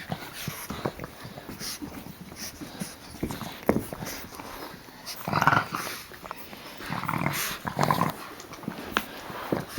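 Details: Puppies Geraldine, Olive and Laverne at play: two brief, harmonic yelping bursts, one about halfway through and another near the end, rise above steady scuffling, pawing and soft thumps. A low murmur of background noise runs throughout.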